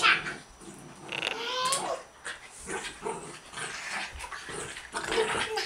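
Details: Buddha, a dog, plays wildly with girls indoors; low growly rumbles and whimpering mixed with girls' voices, laughter and shrieks.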